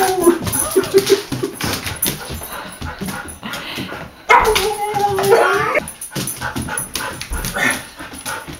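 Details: Lexi, a Siberian Husky learning to speak, vocalizes indoors while her owners try to make the bed; drawn-out, wavering howl-like whines and yips, one long bending moan near the middle, with people talking and laughing throughout.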